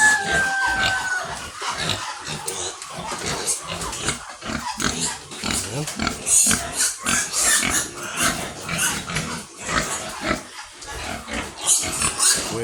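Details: Domestic sows in a pig pen in the Philippines, native pigs: repeated short broadband grunts and squeals through the whole stretch, with scraping and shuffling in the pen.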